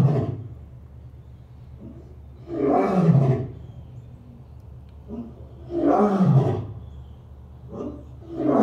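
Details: Lion roaring: two deep, rough, drawn-out roars about three seconds apart, with shorter, softer grunts before, between and after them.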